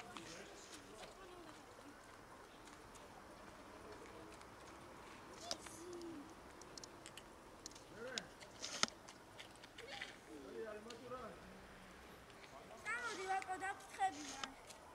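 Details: Cats from a large colony living by a dumpster and feeding from it; several drawn-out, arching meows rise and fall, spaced apart and clustered near the end, over human speech, footsteps and rustling outdoor noise.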